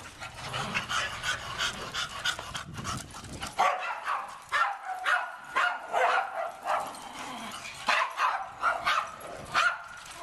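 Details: Pet dogs give a quick series of short, sharp barks and yips in irregular bursts about every half second, with low rumbling noise at the start.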